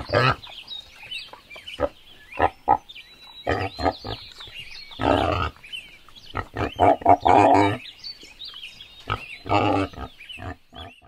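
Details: Wild boars in a forest trade short, rough grunts and snorts, with some longer squealing grunts mixed in.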